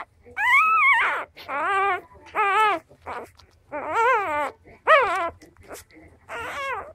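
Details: Cardigan Welsh Corgi puppy just four days old, struggling to reach milk, whines in a run of about seven squealing, wavering cries, some arching up then dropping, separated by brief quiet gaps.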